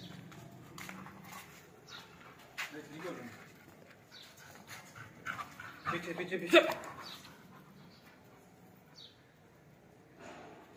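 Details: Labrador Retriever during a training session, whimpering and panting in short bursts, with the loudest cry around the middle, while a person talks over it and household noises sound in the background.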